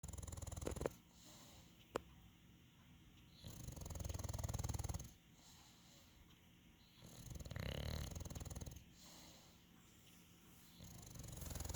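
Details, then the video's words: Calm English Bulldog breathing heavily with slow, rasping, snore-like swells lasting one to two seconds, separated by quieter pauses; two sharp clicks near the start. "English bulldog Bacon the sounds of calm"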